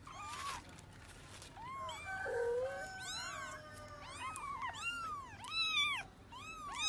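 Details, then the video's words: Cat searching for her kids: several overlapping arched meows, some high and bending, one lower drawn-out wail in the middle, calling almost without pause over a faint background rumble. "cat look her kids for weeping"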